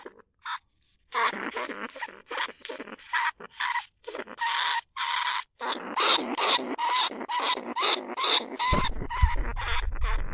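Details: Rice-field pest lesser bandicoot rat, recorded live at Na Lao, Nong Khu Phai, Thailand, as a trapping lure. Rapid rasping squeaks repeated more than twice a second, with faint whistled notes, and a low rumble near the end.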